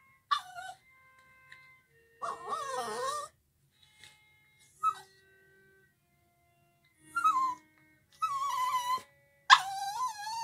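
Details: Puppy singing along while a violin plays: several drawn-out, wavering howls with slides up and down, separated by short pauses, over soft sustained violin notes.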